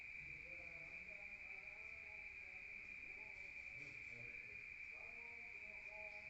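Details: Rural night crickets, heard from indoors, make a continuous shrill ringing trill without pause, over soft, faint murmuring sounds lower down.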